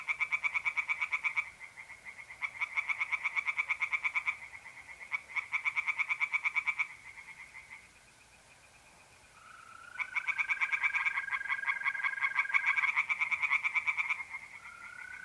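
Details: Tree frogs singing from a pond on an April night in north-east Italy: fast, rattling bursts of pulses a couple of seconds long, separated by short pauses, with a steady trill from mole crickets in the second half.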